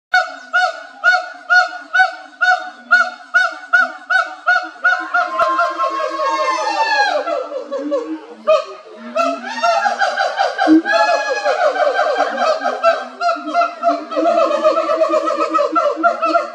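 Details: Siamangs at the Los Angeles Zoo on 15 May 2021 sing: steady repeated hoots giving way to loud rising whoops, barks and overlapping calls.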